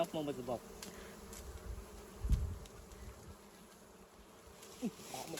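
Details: Wild honeybees around a hive while their honey is being harvested; a steady, low droning hum runs throughout, with a short human voice at the start, a dull thump midway and another brief voice near the end.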